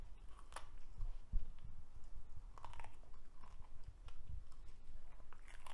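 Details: Cavalier King Charles Spaniel indoors eating a broccoli stalk: crisp, irregular crunching and biting, wet chewing clicks scattered throughout, steady low room rumble beneath.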